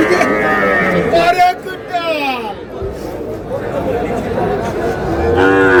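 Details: Sahiwal bull calves at a Bangladeshi cattle market on 24 February, where a Noakhali farmer is buying; drawn-out lowing moos rise above steady crowd chatter and talking.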